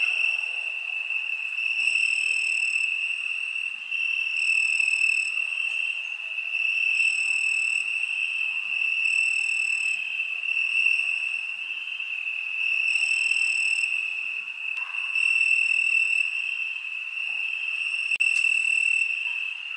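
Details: Crickets on a summer night: a steady, high, shrill trill holding one pitch throughout, with brighter overtone bursts swelling and fading roughly every two seconds; no other sounds.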